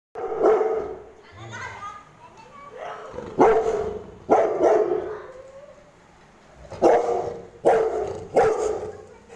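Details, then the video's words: Pet Rottweiler barking angrily at children poking it: six loud, harsh barks in irregular bursts, some in quick pairs, with children's voices and chatter between them. "dog angry on kids (kids poking rottweiler)"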